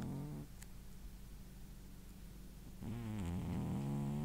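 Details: Tired male pet cat snoozing after running about; a short harmonic snore opens, then quiet low hum, then a louder rasping snore with wavering buzzy harmonics lasting over a second.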